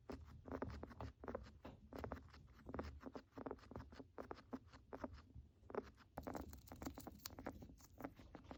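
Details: Sick pet guinea pig breathing with a crackling rattle, a symptom of respiratory illness: steady streams of short crackly clicks, louder in clumps, with a soft rumble underneath and a brighter hiss near the end.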